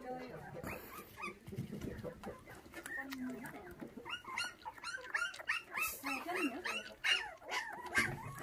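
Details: Bottle-fed puppies, orphaned at six days old when their mother was stolen, squeal and whine after a big feed; thin rising-falling yelps come in quick irregular bursts over a man's low voice and handling noises.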